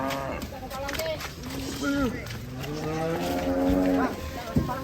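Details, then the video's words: Ongole cattle, agitated while coming down from a truck in Indonesia: drawn-out, wavering moos with rich harmonics, several overlapping calls, with music and people talking in the background. "SAPI NGAMUK LANGKA SEREM TURUN DARI TRUK"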